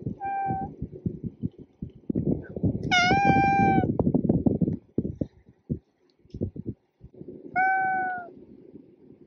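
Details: Three tonal cat meows, short then longer and louder in the middle, the last rising slightly, separated by heavy rustling and handling noise.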